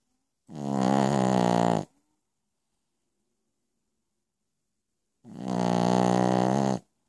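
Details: Piccolina, a Pekingese dog, snoring while asleep at night: two loud, rasping, buzzy snores of about one and a half seconds each, separated by nearly four seconds of silence.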